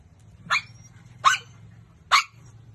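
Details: Pet dog giving three sharp, separate barks spaced under a second apart over a faint low steady hum.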